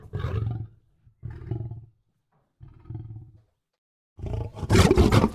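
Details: Lion giving a few deep grunting roars spaced about a second apart, fading, then a louder, harsher burst at the end.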